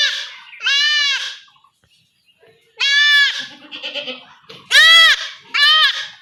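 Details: A goat kid bleats loudly while being castrated at home in a Bengali village using a traditional method. There are four harsh, quavering cries of about half a second to a second each, separated by pauses and low murmuring voices.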